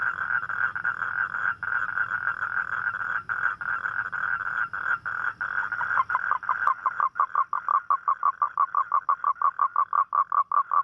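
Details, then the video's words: At night a toad calls for a mate, a sound of rainy nights: first a long unbroken buzzing trill over a faint low hum, then splitting into separate short pulses repeated about three times a second. "เสียงร้องคางคกตอนกลางคืน | The Sound Of Toad At Night"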